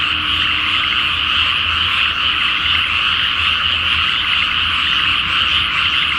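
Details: Night chorus of frogs in a water-filled rice field before planting, full moon, Japan; many voices croak at once in a rapid, irregular pulsing that never pauses.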